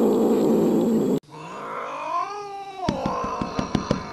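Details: Cats in a fight: after a burst of noise, a single rising-then-falling howl bends upward and drops, followed by a string of sharp taps and thumps under a lower moan.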